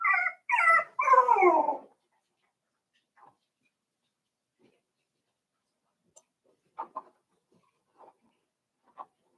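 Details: Cavalier King Charles Spaniel puppies, five weeks old, in the pen with their mother Daisy: three loud, falling whimpers in quick succession open the recording, then only faint scattered squeaks and rustles follow.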